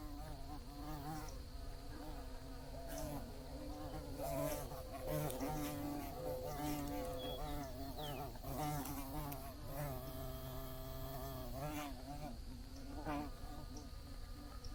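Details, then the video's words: Multiple bees buzzing as a relaxing soundscape. A layered low droning hum rises and falls as insects move nearer and farther, with pitch bending up and down and a faint steady high tone behind. "Bees Buzzing Sounds"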